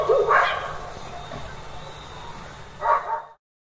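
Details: Village dogs barking during nighttime: one sharp bark at the start, a quiet stretch, then another short bark before the sound cuts off, over a faint background hum.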